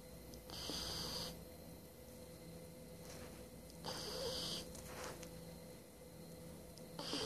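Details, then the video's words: A sleeping 12-week-old Shiba Inu puppy snores in soft, hissy breaths that repeat every three seconds or so. "My Shiba Inu puppy snoring!"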